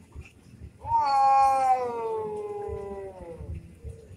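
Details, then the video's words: An orange domestic cat yowls during a fight. A single drawn-out wail rises sharply, then slides slowly downward for about two seconds before fading, over soft low background thumps. "kucing berantem"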